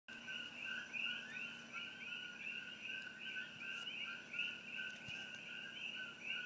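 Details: Coqui frogs by Old Mamalahoa Highway near Hilo, Hawaii, close to the Hawai'i Tropical Botanical Garden, recorded on an iPhone aimed at treetops. A dense chorus of overlapping two-note calls, a lower tone then a higher rising chirp, over a faint low hum.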